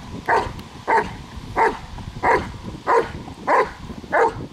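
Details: German Shepherd held under control in protection work, delivering seven loud, clipped barks at a steady pace of about one every two-thirds of a second.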